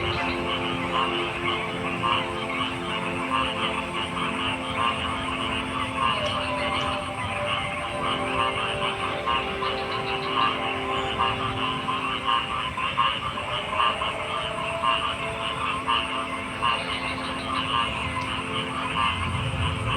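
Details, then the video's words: Many frogs calling together: rapid overlapping croaks and pulsed notes form a continuous chorus, with occasional higher chirps above a constant low drone. "Frog Sounds"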